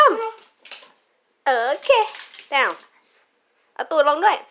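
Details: Tweenie dachshund girls Saigrorg and Tanggwa, playing indoors with a Chuckit ball during a trick session, give drawn-out, wavering, harmonic-rich howl-like calls that rise then fall, in three bursts with brief silent gaps between them.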